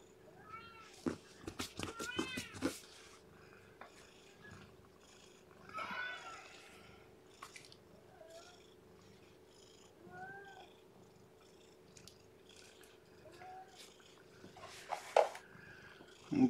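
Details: Lethargic newborn kitten whose weight has dropped, being warmed and fed indoors; a few thin meows come early and then fade to soft, sparse cries, with a constant hum and handling noises.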